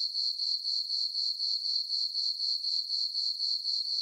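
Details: Summer night crickets in a farm meadow under a full moon, giving a piercing high trill in steady pulses of roughly four per second, with nothing else audible.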